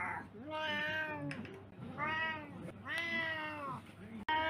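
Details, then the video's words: Three drawn-out, tonal domestic cat meows, each about a second long with a gentle rise and fall, spaced roughly a second apart, ending in a sudden loud cut. "Cat meows compilation #29"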